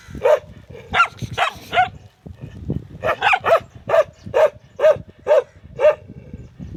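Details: Dogs barking in short, sharp barks: a few uneven barks, a brief pause, then a steady run of about eight barks roughly every half second, with low background rumble.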